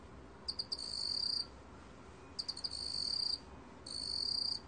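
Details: Meok-gwitturami cricket, recorded by Korea's National Institute of Biological Resources in 2020: three quick chirps, then a steady, high, ringing trill of about a second. The pattern repeats roughly every one and a half seconds over a quiet background.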